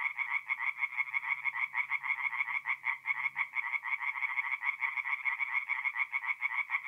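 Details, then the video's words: Mid-April night at a forest pond in north-east Italy, where tree frogs keep up a rapid, slightly uneven chorus of rasping pulses, many callers overlapping, with a soft low hum in the background. "relaxing forest pond by night with singing tree frogs"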